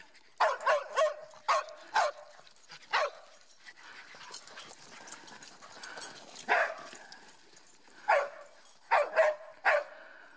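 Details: During a hike at Grand Staircase-Escalante National Monument, Utah, Mieli, a part-Schipperke dog with zoomies, lets out clustered sharp barks, falls quieter amid rustling, then resumes with a quick cluster of barks.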